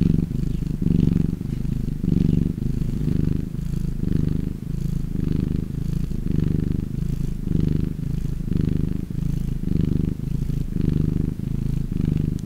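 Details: Contented domestic cat purring, a throaty low-pitched rumble in regular breath-length surges, close to the microphone with nothing else heard.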